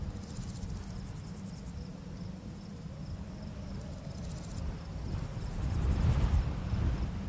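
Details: Crickets chirping in a barley field on a summer full-moon night: high, fine pulsed trills come in bursts of about a second, returning several times, over a strong low rumble of wind blowing through the grass.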